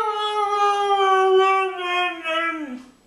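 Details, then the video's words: Dog indoors giving a long, steady harmonic howl that holds its pitch, then drops and fades toward the end, voicing something like "I want my Mommy"; no other clear sounds. "says "I want my Mommy!""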